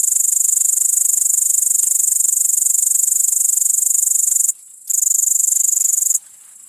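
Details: A great green bush-cricket (Tettigonia viridissima) gives a loud, high, rattling buzz that runs on in long unbroken bursts.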